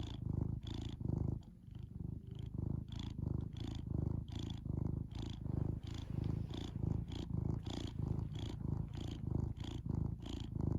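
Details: Pet cat giving a continuous low-pitched purr, rumbling cycles alternating evenly with breath, with a brief softer dip near the start, otherwise unbroken and close to the listener.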